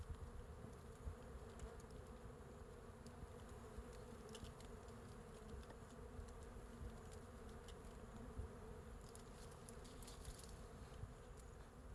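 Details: Large wild honey bee colony on a hive hanging from a tree branch in natural forest, a dense continuous low hum with a steady band near the bottom, faint clicks and scattered higher crackles above.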